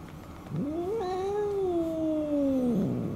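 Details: Elderly retired boss cat under terminal care at home, having once governed a housing area; one loud, drawn-out yowl lasting over two seconds, rising quickly, then sliding slowly downward before breaking off.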